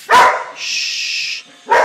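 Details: Four-year-old Wheaten Terrier, a pet dog indoors, anxious because of a ceiling fan; two sharp loud barks about one and a half seconds apart, with a hissing hush between them.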